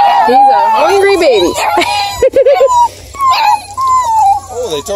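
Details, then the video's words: Ten Bluetick Beagle cross puppies near Kingston, Ontario, Canada howl together in wavering, overlapping whines while a woman talks. "MUSIC of 10 Bluetick Beagle X puppies howling"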